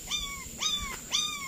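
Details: One of a litter of four young puppies found one morning with their mother under a tree in a garden beside a house gives three thin, high whines, each rising sharply then sliding gently down.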